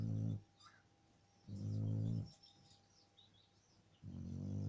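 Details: Low, throaty snoring from a sleeping Shar Pei: long, rough rumbling breaths come in three bouts, separated by quieter pauses of a second or more.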